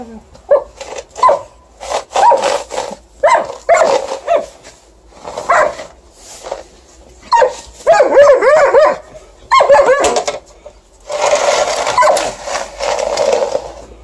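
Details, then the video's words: Snowy December night, an Alaskan Malamute female protests against shovelling, captured on a mobile: rapid series of grumbling barks and woo-woo talking sounds, a warbling howl in the middle, with scraping shovel noise toward the end. "Alaskan Malamute fiercely objects to snow shoveling"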